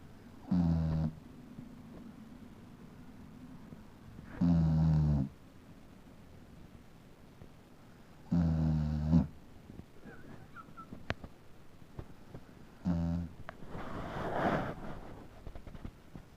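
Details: Sleeping Beagle snoring indoors, which the owner says it does every time it sleeps: low rasping snores about every four seconds, four clear breaths, then a brief rustle near the end.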